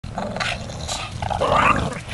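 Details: Dogs playing ball together indoors, one giving a low, rough rumbling growl held for about two seconds, with scuffling noise and a brief higher whine near the end, followed by a person's voice.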